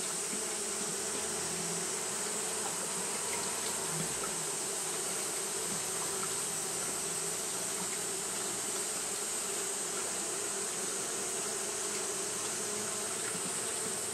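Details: Continuous humming of fanning Japanese honey bees during hot weather. A deeper passing buzz shows in the first four seconds, then the even, layered drone carries on alone over a constant background hiss.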